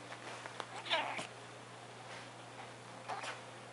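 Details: Turismo, a friendly pet cat, makes one of his strange barking sounds indoors: a short, harmonic, chirp-like bark near the one-second mark, with a person speaking softly nearby and a steady low room hum.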